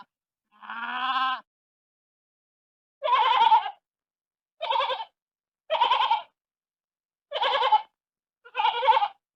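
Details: Sheep. A sheep bleats six times, starting with a smoother, lower-pitched call and following with five shorter, rougher, tremulous bleats. The calls come at uneven intervals of one to two seconds, with silence between them.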